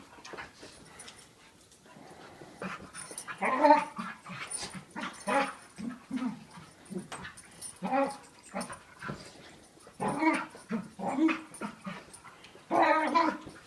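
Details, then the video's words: Two dogs play fighting, a smaller year-old dog of about 40 lbs with a bigger five-year-old of about 95 lbs; one dog makes weird, varied growling and whining noises in irregular bursts over about fourteen seconds. "Dog makes weird noises while play fighting with another dog"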